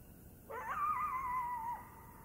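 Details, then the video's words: A coyote in the Blue Ridge Mountains gives a single clear howl that sweeps quickly upward, then holds a long, slightly falling note. "Singing Coyote in the Blue Ridge Mountains"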